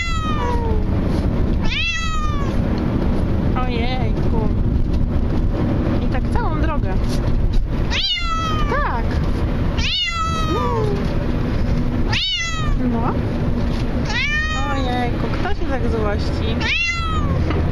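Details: Bengal cat crying in a moving car, giving repeated drawn-out falling meows about every two seconds, some shorter and higher, above constant low vehicle hum; a voice talks softly between cries.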